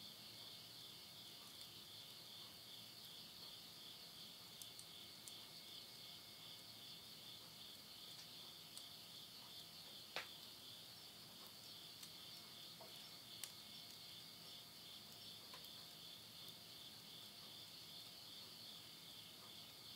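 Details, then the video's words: Insects calling at midnight at the end of summer, September 2020, in the Yurihama countryside of Tottori, Japan: a steady, high, shimmering chorus without pause, while burning wood in a house stove crackles and snaps now and then. "mid night the voice of insects"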